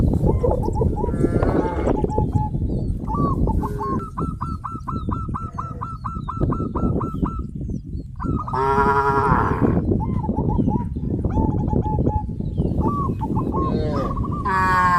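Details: Village farm cattle herd walking to green grass fields, a mix of moos rising from the crowd noise, with a rapid run of repeated short high pulses and a loud harmonic bellow near the middle.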